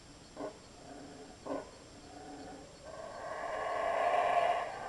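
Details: Monkeys passing through the jungle at Belmopan, Belize, in 2006 give two short, gruff barks, then a long, harsh, swelling roar that grows louder before fading.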